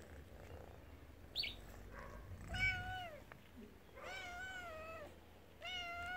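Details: A once-wild, spayed mother cat watches over her two kittens on a property shared with rescued tigers. She gives three drawn-out, wavering meows, the last two long and steady, over low background rumble and a brief faint squeak.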